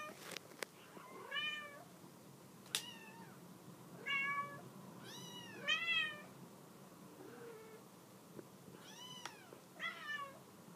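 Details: Mama cat urging her kittens off a couch, indoors: repeated arching meows with chirpy onsets, some clustered in pairs, spaced a second or two apart, among faint clicks and knocks.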